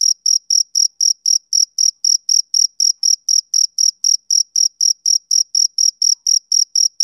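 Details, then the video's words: A male cricket sings on a summer evening, its sharp, high-pitched chirps repeating at about four per second with even gaps between them; nothing else is heard. "Cricket Chirping Sound Effect"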